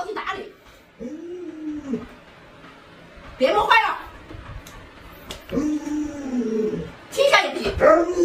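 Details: Indoor pet Alaskan Malamute Lolo, reacting to a pretend puppy-stewing prank: several short, arched woo-woo vocal phrases rising and falling, interleaved with people talking.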